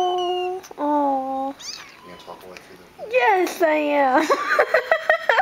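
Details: Abandoned three-week-old kitten, hungry, indoors while being coaxed to eat from a bowl: thin high meows, some steady and some bending up and down, repeated quickly, with a woman's soft talking between them.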